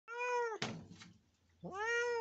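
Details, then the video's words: Injured cat behaving aggressively: a long harmonic wail, then a harsh noisy hiss-like burst, then another drawn-out tonal wail. Some background music. "INJURED CAT BEHAVE LIKE TIGER"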